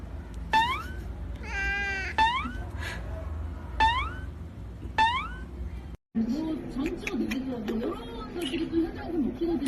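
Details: Pet cat meowing four times, each a clear rising-then-falling cry about every one and a half seconds, one drawn out; after a brief cut, music with a low melody plays.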